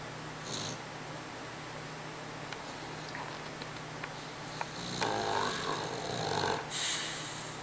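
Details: Dog named Ninja snoring indoors: a breathy, rasping snore swells near the end, carrying thin whistling squeaks, set against a steady low hum and a few faint clicks earlier.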